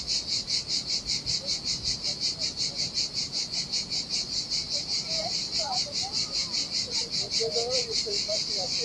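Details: Cicadas sing in the heat on a deserted beach by Sardinia's turquoise sea, a piercing, evenly throbbing buzz; small bird twitters flicker in near the end while gentle surf murmurs below.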